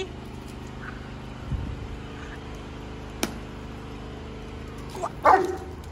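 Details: German Shepherd fetching a ball in a pool gives one short, sharp bark near the end, after a long quiet stretch with a steady low engine-like hum and a few soft thumps.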